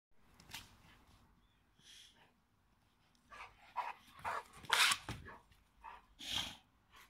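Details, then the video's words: Two male dogs playing at home, a 4-year-old American Pit Bull Terrier named Bailey and a 3-year-old Boxer named Dodge. Short, harsh, broadband barks and growly bursts come in irregular clusters, loudest near the end, with quiet gaps between. "American pitbull terrier and Boxer dog two male dogs playing!"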